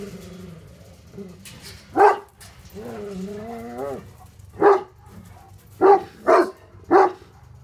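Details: Livestock guardian Tornjaks Hattori Hanzo and Leksi, wanting to attack an intruder, give a deep bark, then a drawn-out wavering voiced sound, then further heavy barks including a quick pair near the end.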